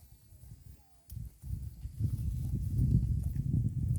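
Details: A herd of cows grazing on green grass at the roadside: after a quiet first second, dense low rhythmic tearing and munching sets in, rapid crunching pulses repeating several times a second and growing steadily louder.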